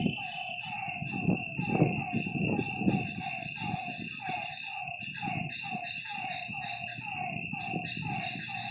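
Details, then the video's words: Night frogs beside a lake keep up rapid, falling croaks while low rumbling bursts and a steady high insect buzz fill the background. "Lakeside night creatures and frog sounds"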